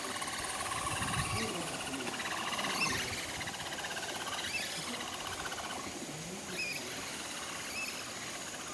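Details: A capybara herd at Nagasaki Bio Park sings together on its way to the breeding male Toku, who joins in. Rapid pulsed, trilling notes with short upswept chirps repeat several times a second over a steady high hum.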